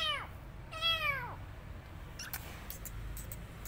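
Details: Young rescued kitten: two clear mews, a short one then a longer falling cry, followed by light tapping clicks in a quiet room.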